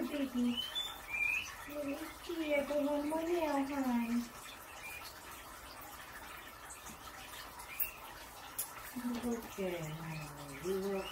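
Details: Pippi, a skinny pig (a hairless guinea pig), squeaking while getting her nails clipped indoors. Short tonal squeaks that rise and fall come in a run over the first four seconds, then resume near the end, in a small quiet room.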